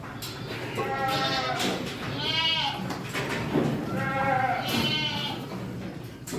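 Saanen goat kids give repeated quavering bleats, each a second or so long with a bright, nasal tone. The calls come in bursts and overlap, with a low hum of farmyard noise underneath.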